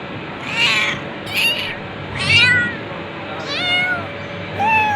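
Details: Cat giving about five meows in quick succession, each a short bent whine sliding up and down, roughly one per second, with a constant low hum behind.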